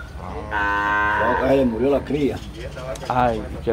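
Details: Dairy cow, Gyr or Sardo Negro, on a farm in rural El Salvador: one long, deep, harmonic moo lasting under a second, followed closely by men talking in Spanish.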